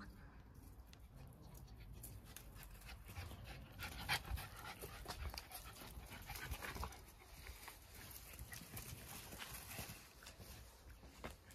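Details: Two Jack Russell Terriers, close friends, wrestling playfully together; rapid, irregular breathy panting and scuffling fills the recording, with faint low voices in the background.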